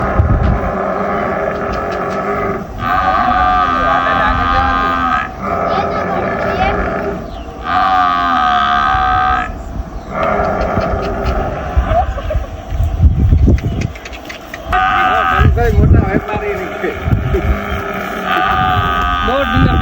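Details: Jafrabadi buffalo giving repeated drawn-out, harmonic lowing calls, each about one to two seconds long, separated by short gaps, over a steady background of rumbling noise.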